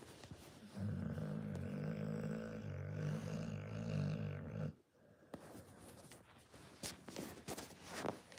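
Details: Snoring Pit Bull. A deep, buzzing rattle lasts about four seconds, then a short pause and quieter, uneven breathing with faint rustles.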